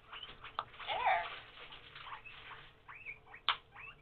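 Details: Starving pet guinea pigs calling from hunger: short high squeals with arched, rising-and-falling pitch, a louder smeared burst near the first second and sharp squeaks later, in a small indoor room.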